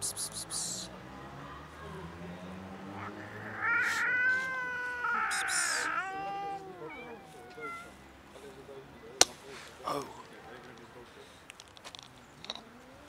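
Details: Huge fluffy stray domestic cat, a friendly female, hungry and cold on a winter street. A run of clear, harmonic meows bunches up in the middle, with human speech and scattered clicks around them.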